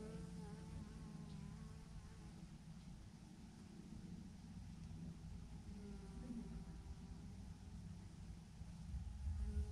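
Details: Thousands of bees hanging in a massive clump on a branch give a steady low hum, with faint wavering tones over a constant low rumble throughout.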